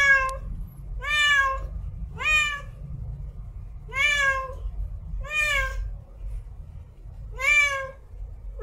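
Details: Female cat in heat meowing as a mating call, six rich, nasal meows in steady succession roughly every 1.2 seconds, each rising then falling slightly, with a low background rumble.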